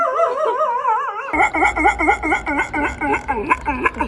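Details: Dog making a strange noise indoors: a warbling, wavering whine that breaks into a rapid series of short, yelping pulses, roughly two per second, with faint background sounds.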